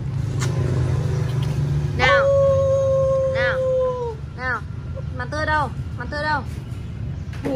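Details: Alaskan Malamute puppies trying to howl like a wolf: one steady, sustained howl held for about two seconds, followed by a string of short, arched yips repeated in quick bursts, with a person's voice early on.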